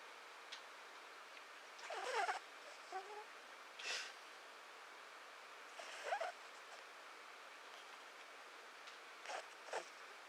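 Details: Mishu, a male pet cat, snoring while asleep indoors: soft, breathy broadband snores with faint tonal edges, repeating roughly every two seconds in a quiet room.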